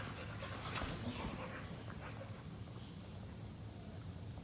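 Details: Pet Boxers in lazy play-fighting on a couch: steady low growling and panting, with a brief burst of louder scuffling near the start and a human voice faintly in the background.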